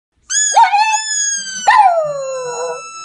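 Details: A singing Pekingese dog howls twice: clear, tonal wails that jump up sharply, then hold and slowly slide downward, the second drawn out and falling further.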